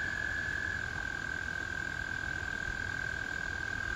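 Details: In spring, American toads trill in chorus, a long, steady, musical purr that holds one pitch without a break.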